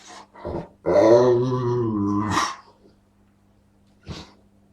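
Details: Dog producing strange, funny noises: a few short grunts lead into a sustained, wavering low groan lasting about one and a half seconds that ends in a rising squeak, then one sharp short huff.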